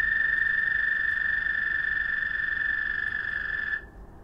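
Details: Frogs trilling to each other after dark; a sustained high, level trill runs for almost four seconds, then cuts off abruptly, leaving quiet background.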